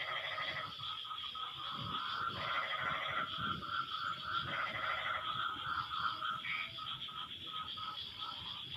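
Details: Frogs answering one another once rain has eased: short raspy, rattling croak bursts recurring every second or two, layered over a continuous high-pitched buzzing drone.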